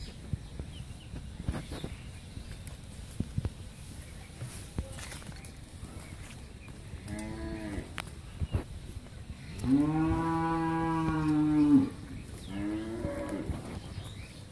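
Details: Friesian cow, pregnant eight and a half months and in her first calving, on a dairy farm in Pabna, Bangladesh: a short low moo, then a long drawn-out two-second harmonic moo and a briefer third one, with faint bird chirps and clicks behind.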